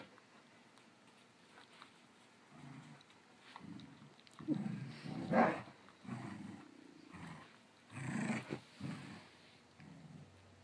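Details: Two dogs indoors, a cattle dog/rat terrier mix and a smooth-coat border collie, growling during a chasing game they play round and round: irregular low rumbling growls in short bursts, some louder and rougher, amid scuffling.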